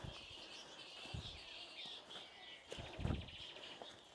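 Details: Thousands of straw-coloured fruit bats roosting in treetops by Lake Kivu, Rwanda, fill the air with a loud, steady, high squeaky chatter from the large colony.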